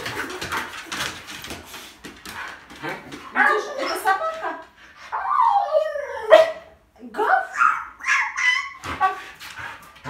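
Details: Husky named Vilma, happy yet careful while meeting a baby up close for the first time, giving wavering, bending whines and short yelps in the second half, with people talking over and between the calls.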